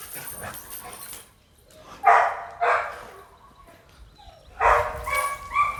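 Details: Red-nose American Pit Bull Terrier, a mother with puppies, gives loud, harsh barks: a close pair early on, a pause, then another burst of barking near the end, with faint hiss between.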